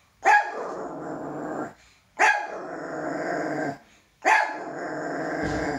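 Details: Male toy poodle, afraid of his own shadow, gives three loud sharp barks about two seconds apart, each running straight into a rough, drawn-out growl lasting over a second.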